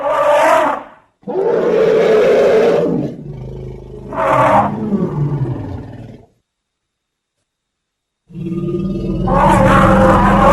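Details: Elephant vocalising in several separate bursts: short rough roars and a longer, lower groaning rumble that slides downward, with silent gaps between calls.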